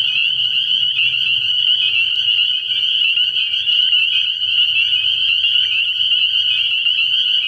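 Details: A frog pond at night early in the year, crowded with spring peepers whose high, ringing peeps pulse steadily in a thick, unbroken chorus over faint low rumbling.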